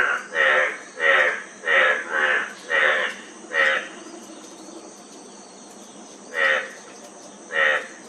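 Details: Frog giving a run of six short, nasal, harmonic croaks about every half second, then a pause of nearly three seconds before two more; a faint, steady, high insect buzz runs underneath.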